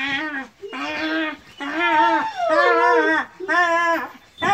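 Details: Kangal puppies whining in five long, tonal bursts of roughly a second each, some wavering and bending downward, separated by brief pauses.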